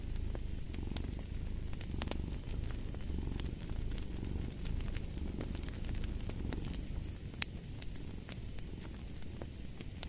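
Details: Low rumbling purr of a cat, rising and easing in soft breath-paced waves about once a second, beneath frequent snapping clicks of a crackling fireplace.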